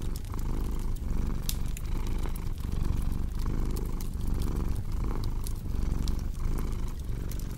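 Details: Cat purr as a low, rhythmic rumble, its inhale-exhale cycles repeating about every 0.6 seconds, partly masked by frequent bright crackles and pops from a burning fireplace.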